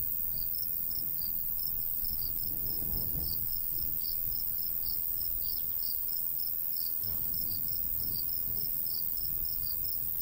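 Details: Crickets chirping in a golden wheat field on a summer day, quick high pulses about three per second, overlapping slightly, with gusts of light breeze rising and falling beneath.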